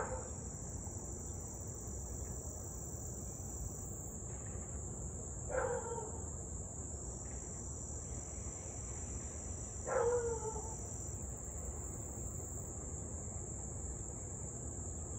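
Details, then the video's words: Nuisance barking from a neighbourhood Siberian Husky near Louisville, 6:24pm on 8/3/2021, during almost half an hour of barking and howling: two far-off barks about four seconds apart, insects shrilling continuously. "Husky to barking and Howling nearly 30 mins straight."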